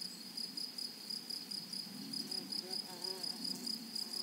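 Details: Flowery meadow grasshoppers: bursts of high pulsed buzzing repeat about every quarter second, joined briefly by a faint low voice-like murmur partway through, over gentle rural background noise.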